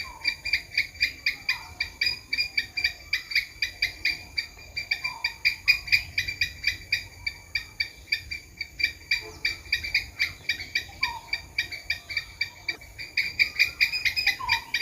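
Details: Long, steady stream of sharp squirrel clicks and chucks, several each second, with brief soft whistles scattered underneath and a faint steady hiss.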